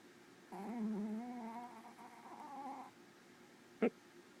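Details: Sleeping black female Pomeranian giving a soft, whistly snore, a wavering nasal tone of about two and a half seconds, then a single sharp click in a quiet room.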